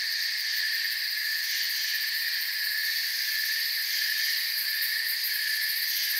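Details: Crickets trill without pause in a forest, a bright, buzzy multi-band chorus with fast shimmering pulses in the highest range, steady in loudness from start to finish.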